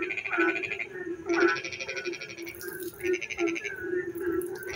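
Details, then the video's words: Rainy-night frog song in darkness, several overlapping callers giving rattling pulsed trills, one following another, above a steady low hum, with a brief high hiss near the middle. "frog singing in the dark night when it rains"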